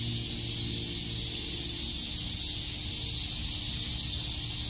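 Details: Cicadas chirping together in a Tokyo park, Shakujii Park, on a summer day; an unbroken high sizzling hiss with no pauses, and a quiet low hum beneath it.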